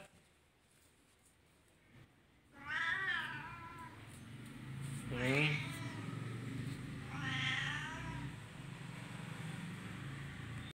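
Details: Pet cat giving three separate drawn-out meows spaced a few seconds apart, each with a wavering pitch, over a low background hum.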